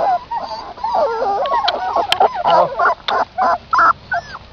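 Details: Puppies suckling milk from their mother outdoors: a busy chorus of high squeaky whimpers and wavering whines, overlapping at first, then short rising and falling squeals in quick bursts.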